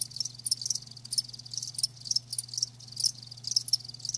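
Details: High thin cricket chirps from live crickets arrive in quick clustered bursts, uneven in spacing, some brighter notes standing out, against a soft steady low hum.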